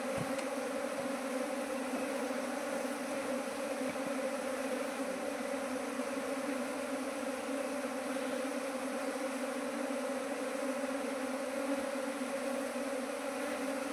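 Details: A constant, even drone comes from a Nepali beekeeper's honey bees, kept in hives that multiplied from one to nineteen over two months; the hum never breaks and carries a soft hiss.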